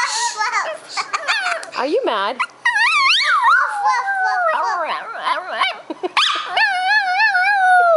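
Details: Female pet dog vocalizing indoors together with a young girl: quick yelping sweeps amid speech and a child's chatter, ending in a long, drawn-out wavering howl that slowly falls in pitch.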